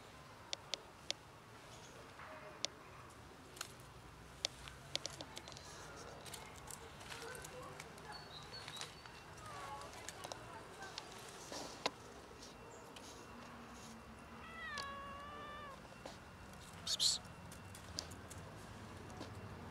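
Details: Black and ginger-white cats, once almost feral and now socialized, meow and act cute to get food. One clear harmonic meow, bending up then down, stands out near the end amid scattered clicks, taps and soft rustling.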